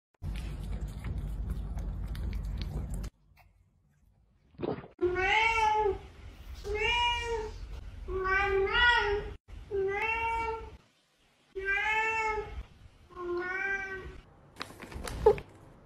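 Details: Cat meowing repeatedly, about seven clear harmonic meows spaced roughly a second apart after a short burst of rumbling noise and a pause; each cry rises slightly then falls.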